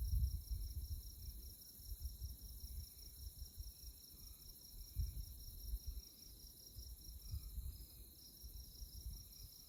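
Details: Moonlit tallgrass prairie near Manhattan, Kansas, Konza Prairie Biological Station: insects chirp in a high, beaded, rapidly pulsing trill that never stops, with soft low wind noise in the background.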